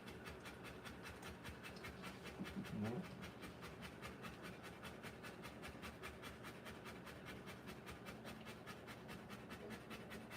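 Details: A Rottweiler mother whelping puppies keeps up quick rhythmic panting, around 150 breaths a minute. A short louder low-pitched sound interrupts near the three-second mark, over steady background hum.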